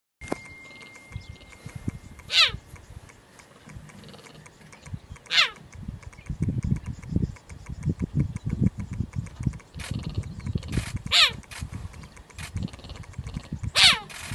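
A cheetah gives sharp, high, bird-like chirps a few seconds apart, with low rumbling between them.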